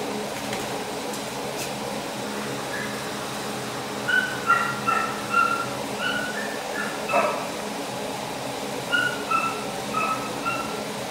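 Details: Male husky boxer mix dog giving short, high, tonal whimpering yips in two clusters of several notes, each group lasting about two seconds, over a steady background hum.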